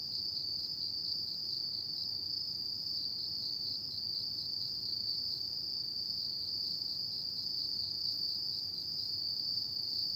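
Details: Autumn insects at night keep up a constant high, thin trill, even and unvarying, against quiet low-pitched ambient noise.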